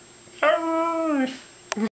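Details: Husky urged to say "I love you" answers with a short, drawn-out howl lasting under a second, pitch gently falling, followed by a brief whimper-like yelp; a woman's coaxing voice precedes it.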